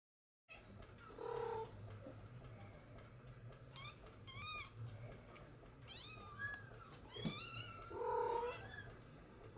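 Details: Bengal kittens from Zuri's litter of three or Cally's singleton, born July 2022, meowing indoors: high, thin, rising-and-falling mews repeat through the stretch, with two lower, steadier drawn-out cries near the start and end over a faint steady hum.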